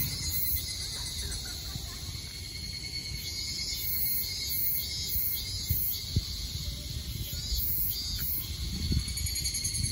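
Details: An evening chorus of Tanna japonensis cicadas in Japan's Kanto region, July 29, 2021: steady, high, shimmering trills that swell and fade over a low rumble.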